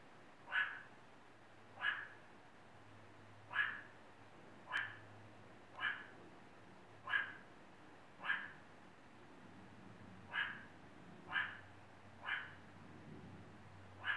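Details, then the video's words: A meerkat at the El Paso Zoo in Texas gives short, sharp, mid-pitched calls, repeated about once a second. "Vocal Meerkat"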